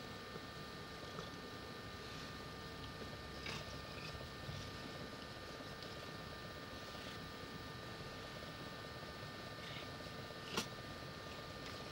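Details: Indoors, a steady low electrical hum with faint clicking runs throughout, and a single sharp tap sounds near the end; no animal voice is heard.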